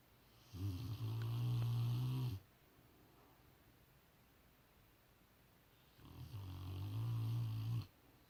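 A Rottweiler snores in deep, rumbling breaths, each lasting nearly two seconds with long pauses between.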